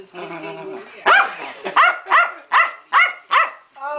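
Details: Keeshond named Pancake, a pet female dog, having a hissy fit: after a brief murmur of human voice, six sharp, harmonic yaps burst out at a steady pace, each rising and falling in pitch.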